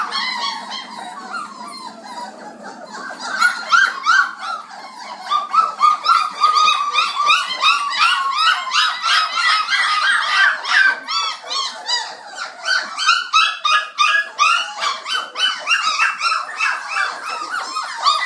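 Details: Feeding time for a messy, noisy litter of 29-day-old black Labradors; softer mixed squeaks at first, then a busier stretch of rapid, overlapping whining yelps and sharp little yips from many puppies.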